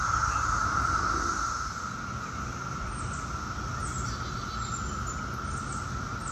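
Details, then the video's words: Brood X periodical cicadas, the 17-year brood, recorded in Chantilly, Virginia, near Washington, D.C., in 2021: a constant droning hum, softer and fading slightly after the first two seconds, over low rumbling background noise. "2021 Brood X cicadas"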